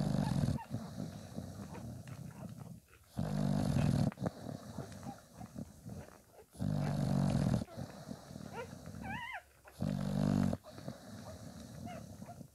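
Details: Five-day-old Bulldog puppies with their mother Spikkels; rough, low grunting bursts about a second long recur through the clip, and near the end a brief, wavering high-pitched whine rises and falls twice.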